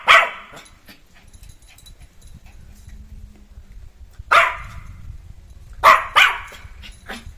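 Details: Jack Russell Terrier puppy let loose and playing, giving sharp yappy barks spaced several seconds apart, one near the start and a close pair near the end, with quiet household background between.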